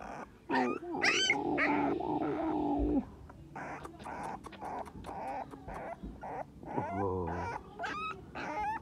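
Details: English Staffordshire Bull Terrier puppy crying, giving loud wavering whines and short yelps in irregular bursts, with a lower moaning whine near the end and rustling between the calls.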